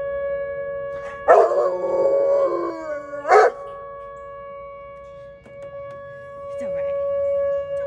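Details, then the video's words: Tank, a dog, howls in reaction to the tornado siren test held on the first Tuesday of each month; a loud, wavering howl falls in pitch over about two seconds, then a brief second cry, over the steady drone of the siren throughout. "Tank vs Tornado Siren"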